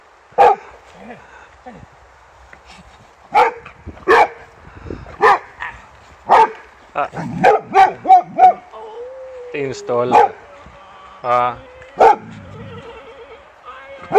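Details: Boxer Rex at a happy reunion with old friend Anders, barking repeatedly in short bursts with a whining tone midway, a person calling his name and talking about a ball.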